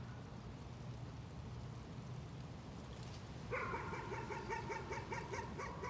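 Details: Steady low background hum for several seconds, then a dog breaks into nuisance barking, a fast even series of about eight short barks.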